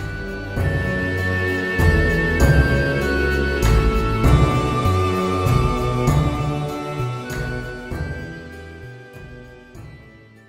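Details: Soft, slow instrumental music with sustained low notes plays throughout, and no animal sound is heard.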